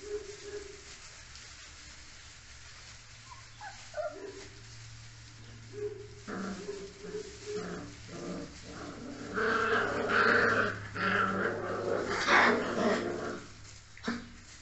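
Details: Spanish Mastiff puppies, recorded in 2023, give short, high yelps and whimpers that build into a busy chorus of overlapping barks.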